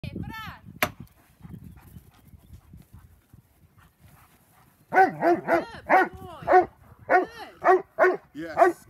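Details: A Doberman during IPO-style hold and bark training; after a few quieter sounds and a man's voice early, a run of loud, evenly spaced deep barks, about two per second, over the last four seconds.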